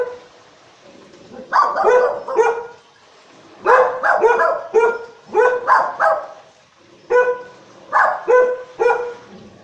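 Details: Four dogs, including a Shih Tzu and a Golden, guarding the house while the owner is away and barking warnings at footsteps; loud, harsh barks in tight bursts of two or three, with pauses between volleys.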